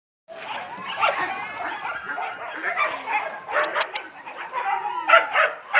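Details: Yakutian Laika puppies, fluffy and playful, giving a busy overlapping chorus of high yips, squeals and whimpers with short sharp peaks, several young dogs calling at once.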